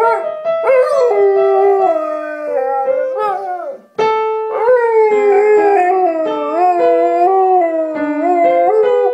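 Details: Pet Siberian Husky singing along to piano music of Beethoven's Für Elise, with long wavering, sliding howled tones that bend up and down over the steady piano notes, pausing briefly near the middle before resuming.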